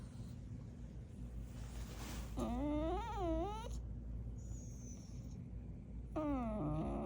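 A dog makes drawn-out, wavering whines and groaning vocal noises, rising and falling in pitch.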